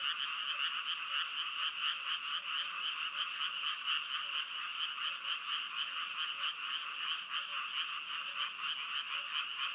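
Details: Frogs croaking in a dense, unbroken chorus, many voices overlapping into a steady pulsing drone of mid-to-high croaks with fast irregular beats and no other sounds.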